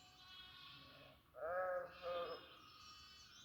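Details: A goat on a goat farm lets out a strong, wavering two-part bleat after a second and a half, over softer bleating from other goats in the pen.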